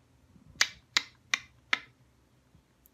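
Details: Four sharp finger snaps about a third of a second apart in a quiet room, with no animal sound heard.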